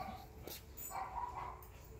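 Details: Husky named Whiskey exercising by running in a backyard, a routine he follows every day; a soft, thin, high whine rises briefly in the middle of a short, quiet stretch with light background rustle.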